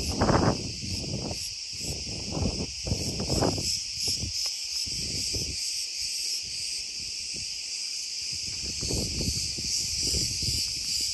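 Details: Cicadas in Crete, Greece, described as very loud: a dense, steady buzzing drone fills the upper range throughout, with low wind rumble gusting underneath.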